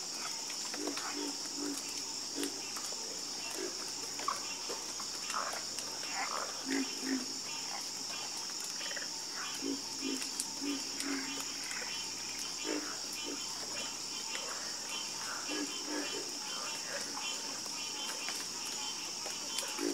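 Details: Harmonious croaking of many frogs, low guttural notes overlapping at uneven intervals, now sparse, now bunched, beneath a continuous high buzzing hum and faint clicks.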